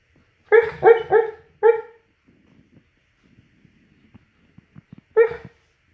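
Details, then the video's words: Dreaming mastiff letting out sleep barks: a quick run of four clear, harmonic woofs, then quiet soft puffs and clicks, and one more bark near the end. "MY mastiff day dreaming"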